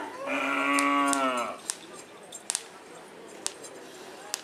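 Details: Madura cattle during karapan sapi bull racing practice in Pamekasan, Madura, Indonesia; one strong, steady moo lasting just over a second, rich in harmonics, followed by quiet background with scattered sharp knocks.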